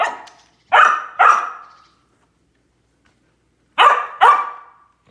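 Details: Samoyed named Lucy barking while chasing squirrels in quarantine: two quick pairs of loud, harsh barks, each pair about half a second apart, separated by roughly two seconds of silence.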